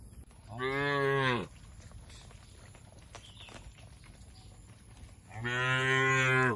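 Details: Cattle eating grass in the open within a green oil palm plantation in Indonesia; two full, resonant moos about four seconds apart, each close to a second long, over a quiet rural background.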